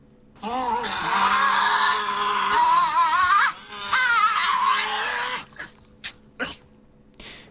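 A Tasmanian devil gives a loud, wavering, moaning screech, followed by a few short harsh bursts.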